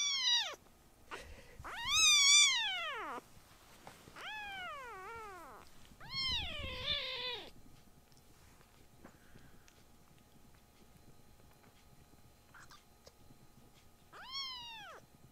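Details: Tiny rescued kittens meowing loudly, startling the older brother cats: a run of high, arched, harmonic-rich meows, some long and wavering, one over a rough low rumble, then quiet room noise and a final rising-falling meow.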